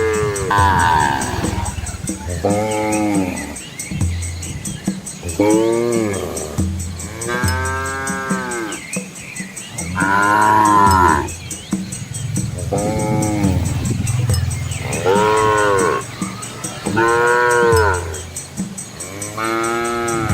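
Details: Dozens of Asian village cows with calves following their mothers along a rural road through rice fields; repeated moos from several animals, short and long, roughly every two to three seconds, over a constant low hum.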